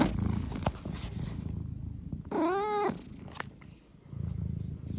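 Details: Domestic cat named Eric indoors, a low rumbling purr with one short rising-falling chirp-like trill in the middle, followed by more purring.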